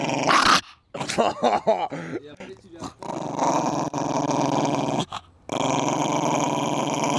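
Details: Babou, a Coton de Tulear, in a garden: a few short yips and voices open, then a steady, low, buzzing growl held for several seconds with one brief break.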